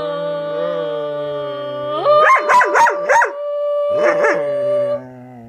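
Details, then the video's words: Pet dog howling along while a person sings Happy Birthday; a long steady tonal howl with rich harmonics, broken midway by a burst of quick wavering yelps, then the held howl resumes and fades. "Dog (Daisy) sings Happy Birthday"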